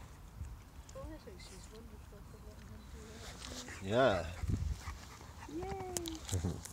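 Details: French Bulldog Percy playing with a big dog: a sudden loud yelp with stacked harmonics, then a drawn-out falling whine, over low rumbling scuffle noise and human voices.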